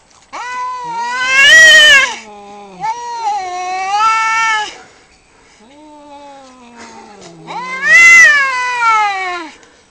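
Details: Two male cats squaring off over territory just outside a house: loud drawn-out caterwauls rising into piercing wails, alternating with lower moaning howls, each yowl lasting several seconds.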